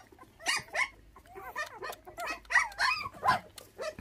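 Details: Several bottle-fed puppies that lost their mother to dog thieves at six days old whine together: short, thin, bending squeals that overlap in a restless chorus, with a faint low hum beneath.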